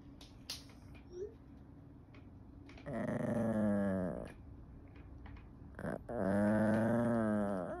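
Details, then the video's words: An annoyed Yorkshire Terrier gives two drawn-out, rumbling growls with a slightly whiny, tonal edge. "Yorkshire Terrier growling"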